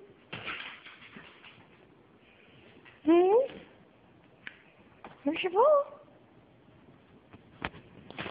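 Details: Siberian Husky named Terra calling while dancing for dinner indoors: two wavering, rising howl-like vocal bursts around three and five seconds, with a person's voice, rustling and clicks between them.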